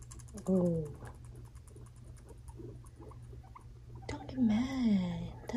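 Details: Two five-month-old male pet guinea pigs, brothers Fluffy and Cocoa, fighting indoors; a short harmonic squeal wavers in pitch, then after soft rustling patter a longer, louder squeal rises and falls near the end.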